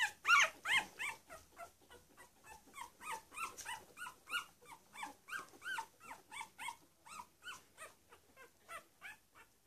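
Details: Week-old Cavalier King Charles Spaniel puppies of a litter squealing steadily, short arched high-pitched cries repeated nearly three times a second in a fast, fairly even series that fades slightly toward the end.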